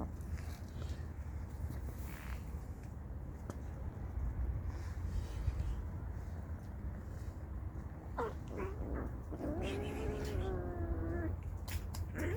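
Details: Street cats attacking each other out of hunger: after a stretch of low, steady rumbling background noise, short sharp cries break out, then a drawn-out wavering, quivering yowl rises and falls for about two seconds near the end.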